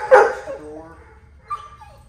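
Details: Very vocal Labradoodle that likes to bark a lot, pulls on the leash and jumps, at the start of dog training; one sharp harmonic bark sliding downward in pitch, then a fainter tonal whine over a low rumble.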